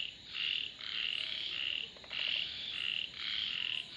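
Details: Frog croaks in long raspy pulses, each lasting about half a second, alternating with short pauses; several callers seem to overlap in a steady chorus.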